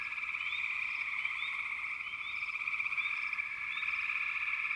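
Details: Dense, high-pitched frog chorus trilling without pause, with quick rising chirp notes rising above the steady drone at irregular moments.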